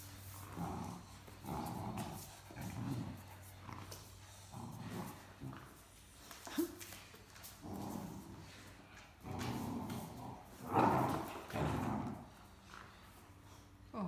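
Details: A Great Dane puppy gives low, throaty little growls and grumbles in short bursts about once a second while playing with an older Great Dane over a stuffed toy.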